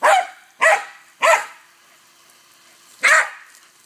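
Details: Barking bursts from Cody the dog at play with a hose: three quick, forceful barks roughly every 0.6 seconds, a pause of nearly two seconds, then one more strong bark.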